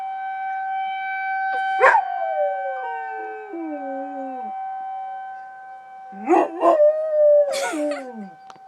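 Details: Riley, a pet dog, howling in response to a tornado siren: long sliding howls falling in pitch, broken by sharp yelping bursts, over a steady droning siren tone in the background.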